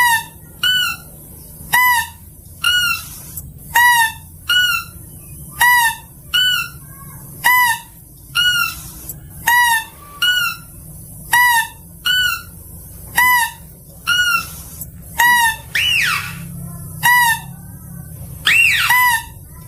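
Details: Mouse-deer (kancil) gives short, nasal, squeaky calls, repeated steadily about once a second; recording used as a lure call.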